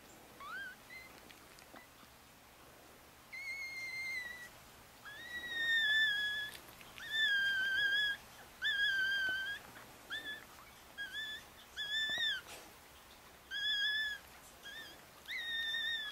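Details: Four-day-old Chihuahua puppies with their mother Bess, a litter of four boys and one girl, in Fredericksburg, Virginia: high, thin whining squeals with rising then flat tones, repeated in bursts roughly every second or two, quiet room.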